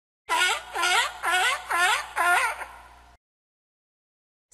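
A sea lion gives a run of harsh, honking barks, about two each second.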